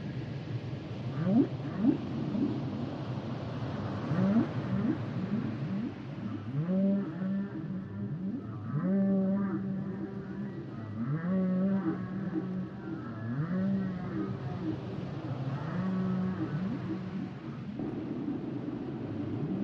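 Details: Humpback whales singing: a varied phrase of low moans, upsweeps and held buzzy tones layered with higher wavering cries, building through the middle and fading, over constant deep underwater rumble.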